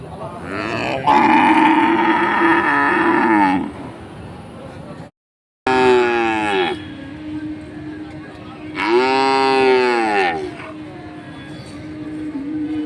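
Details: Five cows together at a village market give long, harmonic moos, each rising then falling, with a brief gap between calls.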